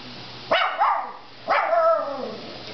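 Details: Indoors, a female dog confronts her reflection in a dishwasher with two gruff, falling woofs about a second apart, each trailing off into a throaty growl.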